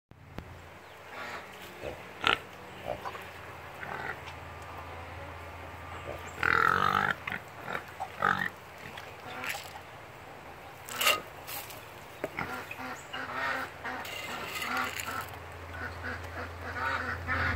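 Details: Pigs making short, scattered grunting bursts, with one louder squealing call near the middle and a few sharp clicks, over a steady low hum running through the whole recording.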